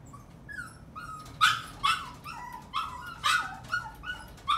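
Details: Yorkshire terrier letting out a run of shrill yips and barks, soft at first, then louder and uneven, about a dozen calls in under five seconds, with faint background hiss.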